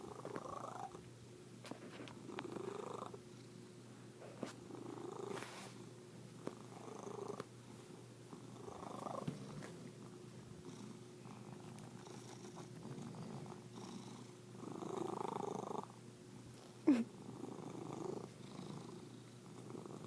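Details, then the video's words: A kitty gives a weird, funny-sounding purr: low rumbling bursts that come in waves about every two seconds, as if with each breath, plus one short sharp click late on. "kitty makes funny noises"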